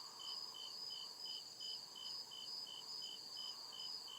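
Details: Crickets chirping at night in the deep woods: high, steady pulsed chirps repeating about twice a second, a second band of regular pulses layered above, with a soft low hum swelling underneath.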